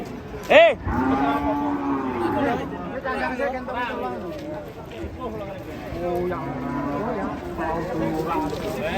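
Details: Angry cattle coming off a truck amid a frightened crowd; several wavering harmonic moos overlap with excited speech and shouts, with a sharp bang early on.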